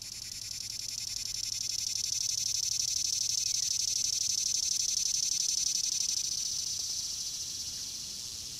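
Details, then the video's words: A summer cicada recorded up close gives a loud, steady high-pitched buzz that swells and fades slightly, answering another cicada heard just before. "Summer Cicada close up sound noise"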